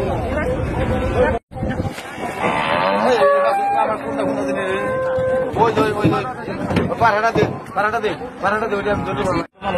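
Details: Cattle at a village market during unloading: a crowded, noisy scene with several overlapping moos and bellows, clattering and human voices, with brief cuts in the sound.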